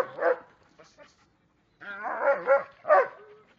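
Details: Belgian Malinois making a short harmonic yelp, then after a pause a run of warbling, whiny vocal sounds rising and falling in pitch, ending with one stronger burst.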